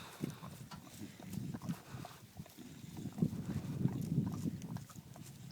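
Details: A bulldog makes noisy sounds while eating her first ice cream cone. Low, pig-like snuffling grunts run rapidly and unevenly throughout, growing louder toward the end.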